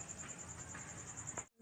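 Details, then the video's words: Night-time cricket chirping: rapid, even, high pulses roughly ten per second, continuing until a brief cut near the end, with low background rumble. "cricket sound at night"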